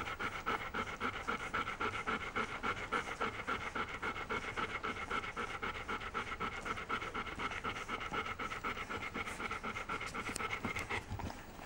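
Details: Litter of puppies born in 2015, tussling for the best spots as they do several times each day. Rapid, even panting runs throughout at roughly four breaths per second, with a constant breathy hiss.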